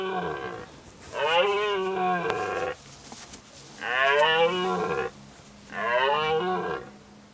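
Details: Red deer in a forest during the 2019 rut, roaring during mating season: three loud, drawn-out, harmonically rich bellows, each about one and a half seconds long, with short pauses between them and a faint steady background hum.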